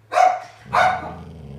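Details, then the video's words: Senior female Golden Retriever talking to her owner with two short, loud woofs about half a second apart, the second trailing into a soft low grumble. "Senior Golden Retriever Dog Talks To Owner!"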